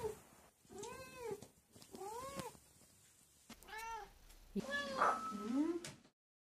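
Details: Cat meowing: four rising-then-falling harmonic meows, roughly one per second, the last one broken and wavering, with soft background hiss.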